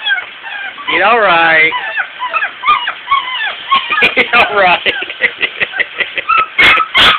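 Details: Several puppies being bathed and clearly unhappy about it: a long wavering whine near the start, then a rapid run of short high yips and whimpers, roughly three per second, with splashing and a human voice in between.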